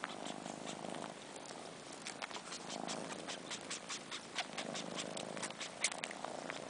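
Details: Purring from four-month-old kittens Sheba and his sister Carla, who miss their mother and suck on Sheba's long fur like a nipple. A soft purr swells and fades in breathing cycles, dotted with sharp slurping clicks.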